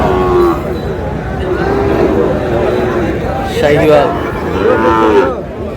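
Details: Small young bull calves at a livestock market in Comilla, Bangladesh, on 14 May, being bought by a farmer. Several drawn-out tonal moos, two louder ones near the end, rise over constant crowd chatter and voices.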